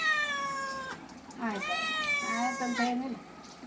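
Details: Cat during a bath, letting out two long, loud, strained meows back to back, the second wavering and drawn out over nearly two seconds, in a small indoor room.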